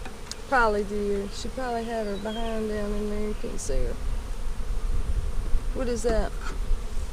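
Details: Honey bees in a split hive made on March 4 to slow the queen's laying and prevent swarming, inspected in April 2017. A steady, low buzzing drone runs for several seconds, with a low rumble beneath and a few short voice sounds.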